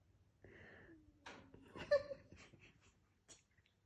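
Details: Dreaming cat making sounds in its sleep indoors: a thin, drawn-out whine gliding slowly downward, followed by short breathy squeaks, snuffles and a couple of soft sharp huffs.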